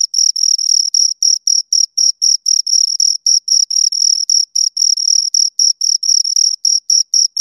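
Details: Two crickets chirping: clean, high-pitched pulses repeated about four times a second in a steady, slightly uneven rhythm, with a fainter higher overtone above the main tone and no other sounds in the background.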